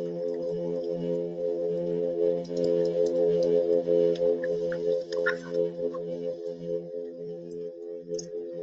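A plainfin midshipman hums in a steady, deep, droning tone, like a low organ note or didgeridoo.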